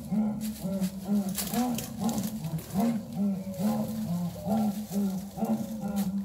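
A jaguar gives a rhythmic series of deep, rasping grunts, about two each second, in a sawing roar.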